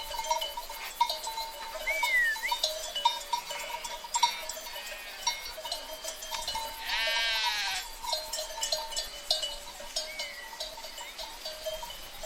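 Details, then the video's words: Sheep herd: a single shaky, nasal bleat near the middle, surrounded by persistent ringing bell-like tones, clicks and two short whistled bird notes. "Free Sheep Herd Sound Effect"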